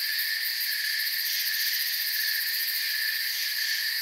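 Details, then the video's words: A calm nighttime forest full of chirping crickets. A thick wall of shrill insect trills, with a faint fast pulsing in the highest layer, runs without a break for the whole short stretch. "Forest Sounds and Crickets"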